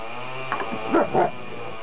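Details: Leonberger at a puppy playdate: two short, rough barks about a quarter second apart, with a low steady hum underneath and a person soothingly reassuring the dog named Enzo.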